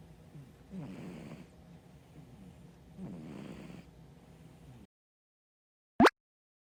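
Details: Dieting brown tabby cat snoring in its sleep: two husky, rattling breaths about two seconds apart, then silence broken by one sharp click.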